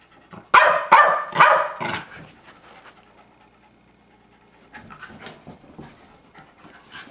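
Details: Jasper, a two-year-old Jack Russell Terrier, playing with fellow terrier Jaclyn on 30 April 2009: a quick burst of three or four sharp barks, then soft, rapid, breathy panting continuing quietly to the end.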